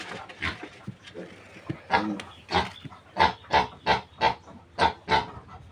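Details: Piglets of a new sow squealing during weaning, a run of short, loud, broadband squeals repeating about every third of a second, growing stronger and more regular toward the end.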